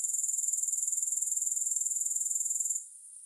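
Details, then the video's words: Grasshopper chorus meant for relaxation: a bright, high insect trill in quick regular pulses that cuts out near the end, leaving only a faint hiss. "Grass Hopper Sounds"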